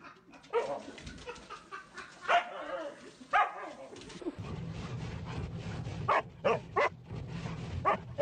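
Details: Husky puppies giving short, sharp barks and yips in scattered bursts, a few close together near the end, over a steady low hum and faint background chatter.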